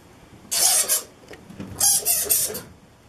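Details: Egyptian fruit bats in a cave in a gorge in Cyprus: two harsh, hissing, broadband screeching bursts, each about half a second long, with a brief quiet gap between them.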